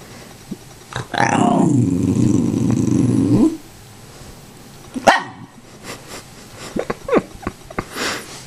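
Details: Indoors, the Tibetan Terrier Zelda begs for popcorn with a sustained, rough, growling bark-like grumble of about two and a half seconds. Short clicks and small yips follow, with soft household sounds.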